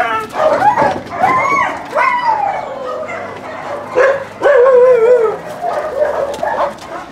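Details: Dogs at a husky kennel during recall practice from free play: drawn-out, wavering howl-like whines that slide up and down, broken by short yelps, with a handler's voice calling the dog.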